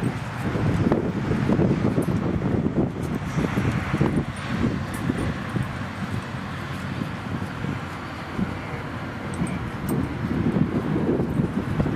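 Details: Steady wind buffeting the microphone mixes with distant traffic rumble and faint voices at a San Francisco Bay dog park, with no clear animal call.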